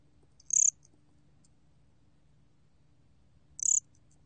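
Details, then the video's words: Gom cricket (곰귀뚜라미) in a 2020 Korean biological resources recording: a pair of sharp, very high pulsed chirps about three seconds apart, each lasting a fraction of a second, over a quiet low drone. "곰귀뚜라미, 여러번 듣기, 곤충소리"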